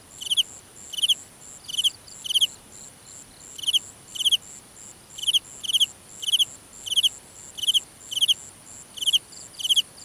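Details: Night-time cricket in a grassy field, Vietnam, chirping in brief pulsed bursts, mostly one or two at a time with irregular gaps under a second, against a thin continuous high-pitched insect drone.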